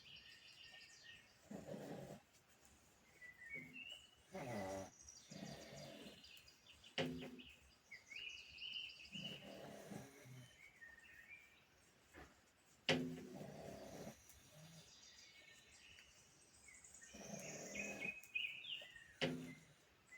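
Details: Snoring from a sleeping pug, a run of gravelly low breaths about every two to three seconds over twenty seconds. Birds sing and chirp steadily behind it.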